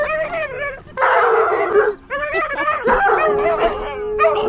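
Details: Excited Alaskan Malamute named Tonka reunited with old friends after about a year, letting out loud, wavering yowls and woo-like howls in bursts, pitch sliding up and down, with brief pauses between outbursts.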